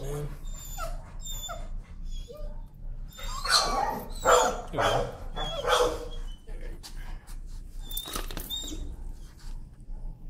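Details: A leash-shy dog protests on a walk while being desensitized to leash pressure. A cluster of harsh, broadband yelps and cries peaks midway, mixed with a man's encouraging speech and scattered clicks and rustles.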